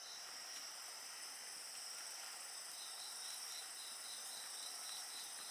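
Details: A chorus of insects keeps up an unbroken high shrill hum alongside a bonfire, one voice pulsing in rapid even beats beneath the steady drone, with a soft crackle of fire underneath.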